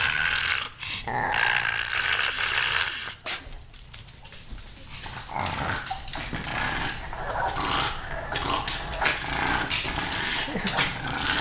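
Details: Pet pug eager to play with kittens gives rapid, uneven grumbling growls and whiny snorts, about three a second, broken by a short lull, in a small indoor room.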